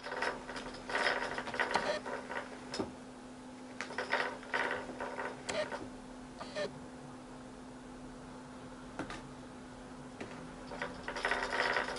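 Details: British kittens testing a butterfly cat toy indoors; people talking in bursts over a steady low mechanical hum from the toy, with occasional clicks.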